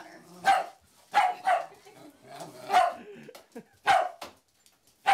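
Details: Dog giving loud, punchy barks indoors, singly and in quick pairs with uneven gaps, each bark a bright burst over a quiet background.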